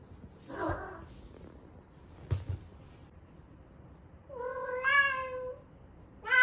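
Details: Ame-chan, an 11-month-old rescued female cat found in Osaka, calling during her first heat at its peak. A few soft indoor bumps and short noises lead into a long, drawn, harmonic-rich meow that rises and falls, then another begins at the end.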